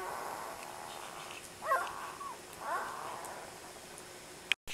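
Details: Four- to five-day-old Labrador Retriever puppies sleeping; two soft, brief whimpering squeaks with wavering harmonics around 1.7 and 2.7 seconds over a quiet hiss, ending in a sharp click.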